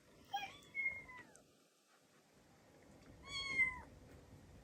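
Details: Indoor domestic cats hearing a kitten's recorded meowing; two clear meows about three seconds apart, each sliding downward at the end, over a quiet room background.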